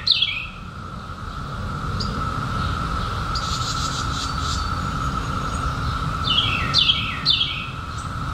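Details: Periodical cicadas of the 2021 emergence, out after a 17-year hiding, fill the air with a constant, level, humming drone and a brief buzzy swell; near the end a bird adds a few sharp descending chirps.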